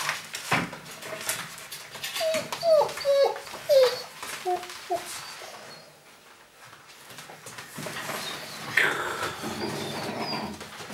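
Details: Golden Retriever puppies in a Westerwald breeding kennel's litter, indoors; a run of short, thin, whining whimpers clustered over a few seconds, each rising then dropping, amid soft rustling and background room noise.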